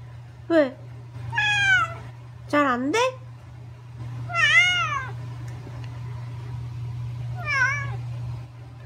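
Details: Angry house cat answering back indoors: five sharp, whining meows that bend up and down, some in quick pairs, several seconds apart, as a person asks questions in Korean, over a constant low electrical hum.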